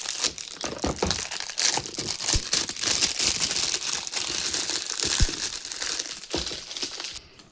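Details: Loud crinkling, crushing and tearing of packaging fills a small indoor room during a parcel unboxing, with no barking or other animal voice heard.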